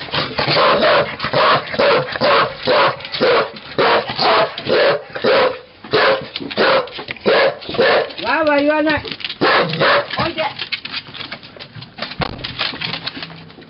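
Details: Cardigan Welsh corgis with a Pembroke named Goro, filmed 13 May 2011, barking steadily in a regular run of sharp barks about twice a second, broken by a short rising-falling whine near the middle, with voices in the background.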